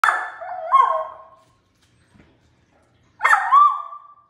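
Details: Maple, a female mini dachshund puppy, gives two drawn-out, whiny barks with a sharp rise near the end, separated by a pause, as she wants her stuffed elephant to play.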